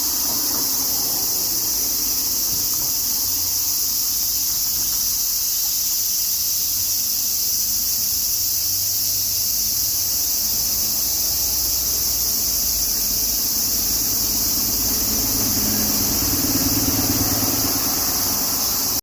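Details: Cicadas calling on a summer afternoon in Tokyo as a typhoon nears: a continuous high, sizzling drone throughout, over a low rumbling background that swells briefly near the end.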